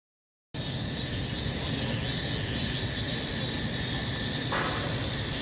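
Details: Cicadas singing in summer, a dense continuous high buzzing hiss with faint pulsing in the upper range, steady throughout after a short silent start.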